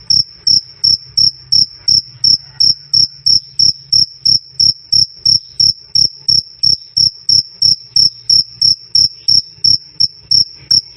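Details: Cricket calling "krik krik" in a steady, fast run of sharp, piercing chirps, about three per second, evenly spaced for the whole stretch, loud and clean against quiet background.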